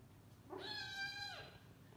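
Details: Sleepy domestic kitten meowing loudly while its sibling keeps biting it to play. One clear, drawn-out, high meow of under a second rises, holds level, then falls away, with a quiet room behind it.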